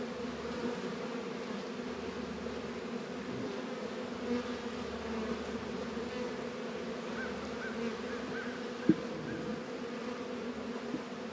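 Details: Honey bees humming at Warre and Langstroth hives in northern Kentucky, February, 72 degrees; a low continuous drone with a few faint soft tones near seven seconds and a sharp click close to nine seconds.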